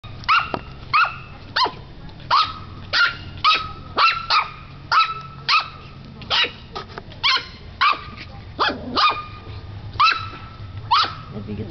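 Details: Ten-week-old Yorkie Corgi mix puppy, adopted two days earlier, finding her voice: a rapid run of about twenty high, sharp yappy barks, close together and fairly regular, with background music and faint talk.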